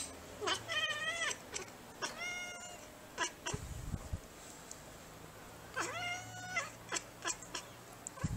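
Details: Bengal cat meowing indoors in three drawn-out, harmonic-rich meows, each dipping then rising slightly, spaced about two to three seconds apart, with soft clicks, taps and a low background hum between calls.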